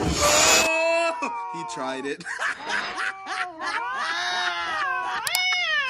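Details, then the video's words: Angry cat yowling: drawn-out wavering wails that bend up and down in pitch, broken by short gaps, with a harsh, noisy burst at the start and several overlapping calls. "Angry sound of Cat (বিড়ালের কান্ড )"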